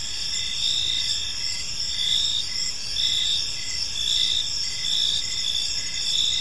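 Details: A park at evening filled with cricket chirping: bright, high-pitched trills in overlapping waves, louder surges arriving roughly every second, with steady faint background noise.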